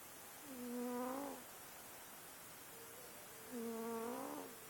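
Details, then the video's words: Sleeping domestic cat snoring; two drawn-out whistly, tonal breaths about three seconds apart, each lasting around a second and slightly rising at the end, against a quiet room background. "Cute snoring kitty"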